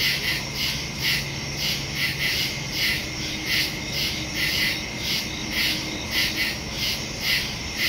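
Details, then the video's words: Crickets calling at night in the woods on September 2, 2023, recorded using a Samsung Galaxy S22 Ultra and Shure MV88+: repeated high chirp pulses over a steady insect hum, with a faint low drone beneath. "Crickets in the woods at night"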